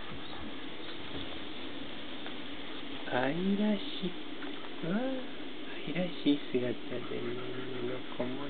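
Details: Standard poodle puppies, 17 days old, born 3 April 2012, with their mother Christine, filmed 20 April 2012 at the François Kingdom standard poodle kennel; after three quiet seconds, soft high whimpers rise and fall in short arching bursts over a steady indoor hum.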